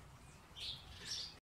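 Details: Improved guinea pigs kept on a breeding farm of Peru, Inti, Andina and Inka lines; two high-pitched squeaky chirps follow each other closely, then the sound cuts off abruptly.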